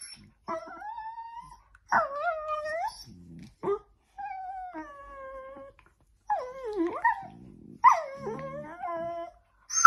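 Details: Miniature dachshund at play, whining in long drawn-out tonal cries, some rising, some sagging, others swooping down then up, separated by brief pauses and short soft grunting sounds.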